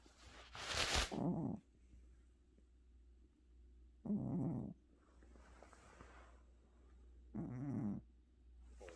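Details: Domestic cat snoring indoors while asleep, tired after a trip to the vet: three short, rough, low snores about three and a half seconds apart, the first with a breathy hiss.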